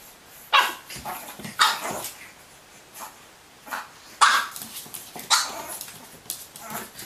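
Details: Pug puppy playing indoors beside a mirror, firing off bright yappy barks about once a second in loose, uneven bursts, with softer whimpering yips in between.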